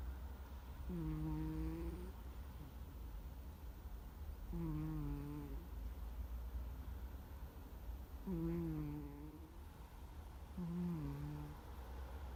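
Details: Sleeping cat, Gomataro, snoring loudly like an ordinary middle-aged man going 'guu guu': four low, humming snores about one second long, each gently falling in pitch, spaced three to four seconds apart over a steady room hum.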